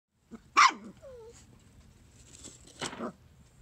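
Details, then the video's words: A bouncing Corgi puppy gives two sharp, high-pitched barks a couple of seconds apart. "Bouncing and barking Corgi Puppy"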